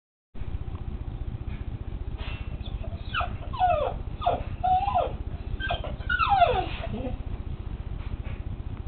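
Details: Female Springer Spaniel crying while she watches hunting shows on TV: a run of high, quick whimpers and whines that slide steeply downward, clustered mid-clip over a steady low hum.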